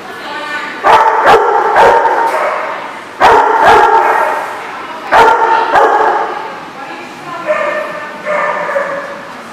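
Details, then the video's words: Dogs barking on 16 May 2014: loud, sharp harmonic barks in irregular clusters of two or three, each trailing into a howling, whining tone, with brief gaps between bursts. "The Barking Lot"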